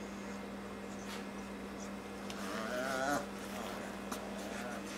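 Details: Four-week-old Daniff puppies, Jerry and Dasy: one brief wavering whine near three seconds over a steady low hum, with faint clicks and shuffling.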